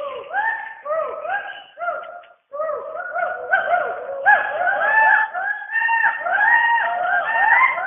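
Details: Western hoolock gibbons calling from the rainforest canopy in Dampa Tiger Reserve, Mizoram, India: several voices overlap in rapid, rising-and-falling tonal hoots, with a brief break near the middle before the chorus resumes louder.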